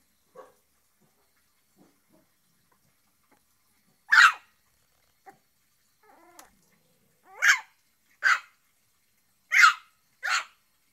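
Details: Shih Tzu. A small Shih Tzu barks in short, bright yaps with a few seconds between them. Some barks come alone and others in close doubles, with faint whines in the gaps.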